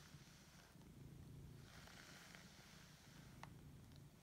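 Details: Lexi, a male Siberian cat, purring while waking up and enjoying being fussed; a steady low rumbling purr runs throughout, with brief soft rustles and handling noises over it.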